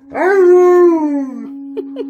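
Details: Alaskan Malamute howling together with a baby who is mimicking him; one smooth howl that rises quickly, holds steady, then slides slowly downward over about one and a half seconds above a constant background hum, followed by two brief vocal bursts.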